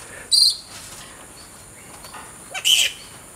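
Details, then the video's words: Bats at mealtime in a creche, flying foxes feeding on bananas placed in baskets for enrichment; two brief shrill, high-pitched squeals separated by about two seconds of quiet. "Bats eating banana"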